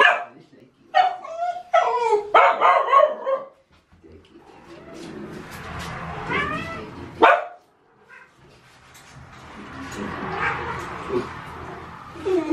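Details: Puppies yipping and whining: a burst of high, rising yelps and squeals in the first few seconds, a single sharp yip near the middle, then softer whimpers over faint background music.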